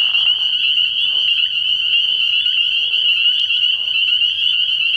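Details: Spring peepers calling at a frog pond at night early in the year, a dense chorus of high, shrill peeps merging into a steady ringing band, with a brief lower rasping trill near the start.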